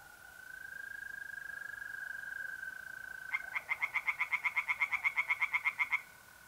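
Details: Pond tree frog singing at night in mid-April, north-east Italy. A mole cricket's continuous high trill plays alone for three seconds. Then a frog joins with a rapid rattling series of about four clipped pulses per second.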